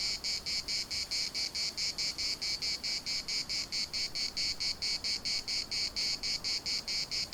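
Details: Cicada song from the municipal park in Larnaca, shrill and buzzy, beating in even pulses a little over twice each second, clean and unbroken with only a soft wash of background noise.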